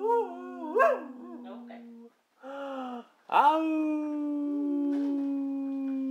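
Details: Brindle Boxer singing: sustained steady howls with a sharp rising yelp at the start, a brief pause, then a long drawn-out level howl, in a small room.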